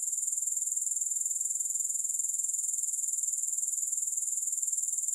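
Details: Continuous high, sizzling grasshopper chorus with no music, evenly pulsed at about four beats per second. It runs unbroken throughout, with no other sounds.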